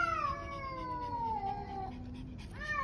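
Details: Stray cat yowling at a roadside in the evening, a second black cat nearby: one long, drawn-out harmonic wail sliding slowly downward for about two seconds, then a brief pause and the start of another rising cry.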